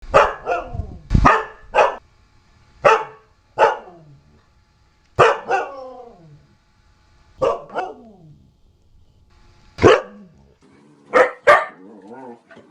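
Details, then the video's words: Siberian Husky barking and whining: sharp, irregular barks, some trailing into wavering whine-like tones with stacked harmonics, about a dozen calls spread across the stretch with short silences between. "OUÇA O SOM DE LATINDOS E GANIDOS DO LINDO CACHORRO HUSKY SIBERIANO"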